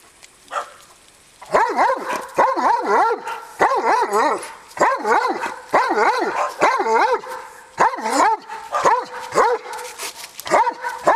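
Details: A Dobermann "talking" with a horse gives a run of wavering, yodel-like barks in quick bursts, rising and falling in pitch.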